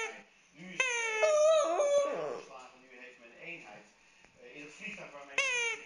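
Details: Fluffy, a pet dog, cries while playing with his stuffed toy: drawn-out, wavering harmonic wails that rise and bend, one long cry then a short one near the end, with quieter talking in between.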